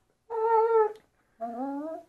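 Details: Siberian Husky, described as crazy and hyperactive, giving two drawn-out tonal howling notes: the first steady and held for over half a second, the second after a short pause, lower and slowly rising, in a quiet indoor space.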